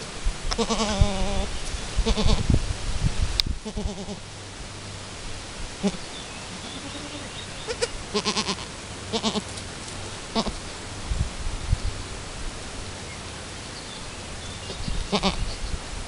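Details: Chamois-coloured Alpine goat Chiara and her newborn kid, first kidding, two hours after birth while learning to nurse: a few wavering harmonic bleats early on, then scattered rustling, clatter and low background hum.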